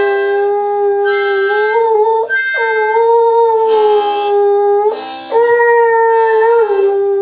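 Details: Pet dog howling along with a harmonica: long sustained tonal howls holding steady pitch, broken by brief pauses near two and five seconds, with harmonica notes blending in; a man praises the dog afterward.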